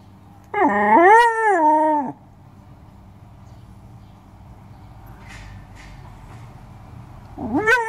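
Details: Alaskan Malamute giving a drawn-out, rising then wavering howl-like vocalisation lasting about a second and a half, followed by quiet, then another rising howl beginning at the end.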